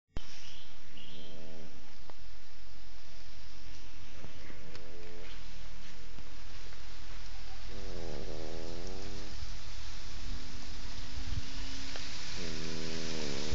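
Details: A French Bulldog snores loudly, each rough, rattling breath recurring every few seconds, before getting a fright, possibly from a bad dream.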